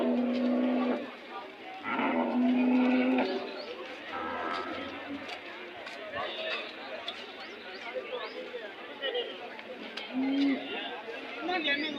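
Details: Cattle at a temple cattle fair market held every Monday; several low, steady moos of about a second each rise above constant crowd chatter and talking.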